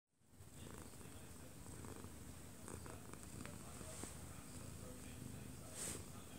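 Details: Odd-eyed Munchkin cat, one year two months old, purring while falling asleep in its owner's arms, recorded close up indoors; a steady low rumbling purr runs throughout, with a TV broadcast murmuring in the living room behind it.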